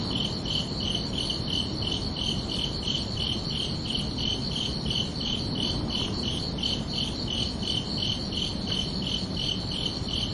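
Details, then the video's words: Crickets calling at night in summer, a continuous stream of rapid, regular high chirps, close to three each second, in two stacked tones over a muted low-frequency wash. "Calming Cricket Sounds for Relaxation"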